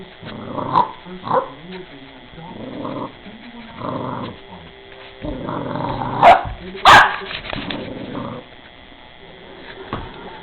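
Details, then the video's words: Rottweiler puppy facing an angry bird, giving a series of low growls and short yaps roughly every second, with a few sharp louder barks midway and a steady background hum. "Tuff rottie puppy vs angry bird"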